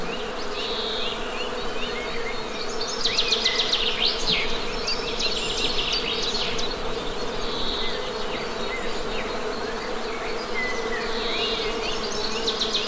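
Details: Honey bees give a constant humming buzz as the base sound, with bursts of quick bird chirps and short trills scattered on top.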